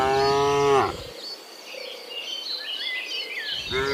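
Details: Morning cattle on their way from the field to the barn: one long harmonic moo fades out, a gap filled by twittering birds follows, and another moo begins at the end.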